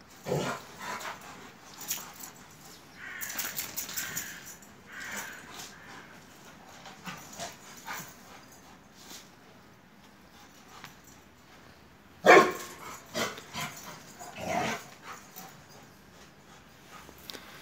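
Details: Two Akbash dogs, Zeyna and Güdük Reis, playing in Turkey; scattered short growls and snorts with quiet gaps, a sharp loud burst about twelve seconds in, and another throaty growl shortly after.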